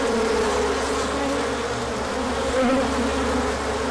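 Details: Bees on a large orientation flight, 24 March 2024, after colder weather gave way to sun. A dense hum of wings continues throughout, over a low steady background drone, with a short louder buzz passing near the end.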